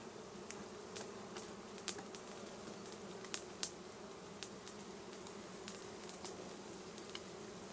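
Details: Wild honey bees being smoked from their hive so the honey can be collected, making a continuous low buzzing drone, broken by frequent brief clicks and snaps.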